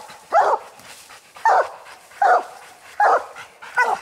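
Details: Treed barking from hunting coon dogs Lucky, Mossie and young Star, a raccoon up the tree at night: five loud, sharp barks spaced about three-quarters of a second apart over quiet background.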